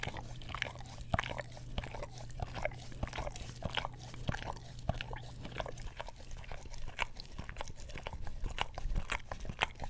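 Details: English Cream Golden Retriever licking an Orapup tongue cleaning brush close to a Blue Yeti stereo microphone; rapid sticky tongue clicks and slurps, densely packed and irregular, over a low hum that fades partway through.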